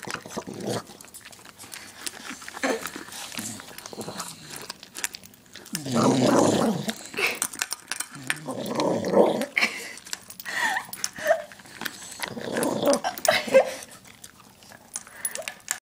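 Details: Dog growling as she eats, in a small room: throaty growls swelling around six, nine and thirteen seconds between stretches of chewing and crunching, with faint speech-like sounds.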